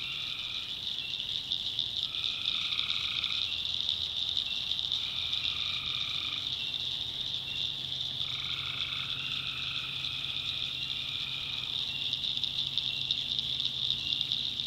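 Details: Tree frogs calling at night in a North Carolina backwoods swamp: a dense steady high trill chorus, with lower paired tones about a second long recurring every couple of seconds, and faint crickets beneath.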